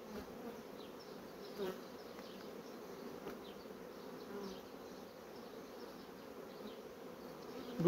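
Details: Low, even hum of a honey bee colony building out foundation comb, quieter and steady, with occasional faint knocks and a sudden louder sound at the very end.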